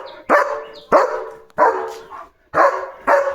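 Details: German Shepherd Leo barking at other dogs to scare them off from the gate; five loud, harsh barks spaced unevenly about half a second to a second apart, a woman speaking between them.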